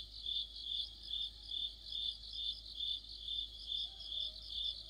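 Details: Crickets singing together with other insects in mid-autumn, a high, steady trilling band throbbing in pulses about two to three times per second. Light low background hum underneath.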